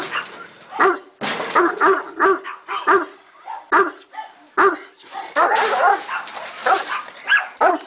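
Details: Bucovina Shepherd Dog from Vrancea, giving deep single barks spaced irregularly, mixed with people talking nearby.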